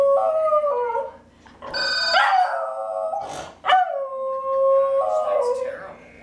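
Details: A Pembroke Welsh Corgi howls in long, wavering tones that rise and fall, as it does when the phone rings.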